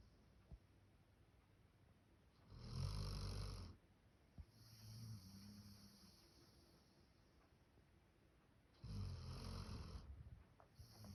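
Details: Max, a male Labrador Retriever born on 1 October 2019, snoring like a human: three long, deep, rasping breaths rumble in slow succession, separated by quieter, softer snuffling breathing.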